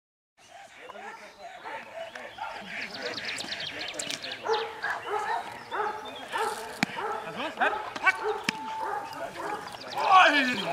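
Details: Perro de Presa Canario Don Quijote de la Arena in Schutzhund training in Germany. Loud, harsh barks grow denser through the second half and rise to a sharp burst at the end, mixed with people's voices.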